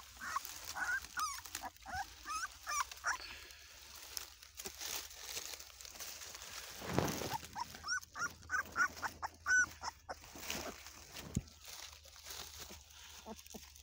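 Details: Ladoo's Bullmastiff puppies squeaking: scattered thin whines and short yips, clustered in a quick series near the end, over background hiss and handling noise.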